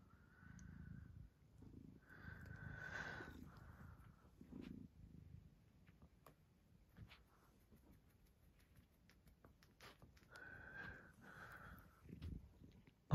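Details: Maine Coon cat purring steadily in low pulsing rounds while at play indoors, with a thin steady tone coming and going in the background and occasional soft clicks.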